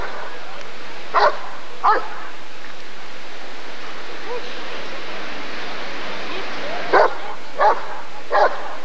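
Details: At the ADRK Körung breed survey of 1994, a Rottweiler barks twice, goes silent for several seconds amid low murmuring background, then resumes with three more hard barks.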